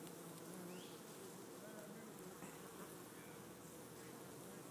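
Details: On a late May afternoon in Gainesville, Florida, thousands of Western honey bees fly in and out of an opening in a felled oak tree that holds a large colony, making a dense, steady hum with faint wind noise.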